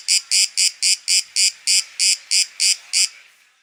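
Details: Greek cicada in Athens, September 2023, giving a run of about eleven harsh buzzing pulses, roughly three to four per second, that stops abruptly after three seconds, leaving a faint fading hiss.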